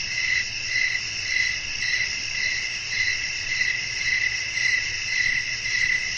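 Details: Crickets calling through a windy night: bright, piercing chirps that swell and fade in a regular beat, roughly twice per second, over a constant high shimmer and faint low noise.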